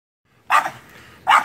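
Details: Bogey, a French Bulldog, barking while chasing his squirrel nemesis: two sharp, loud barks about 0.8 seconds apart, each a short burst, with quiet between.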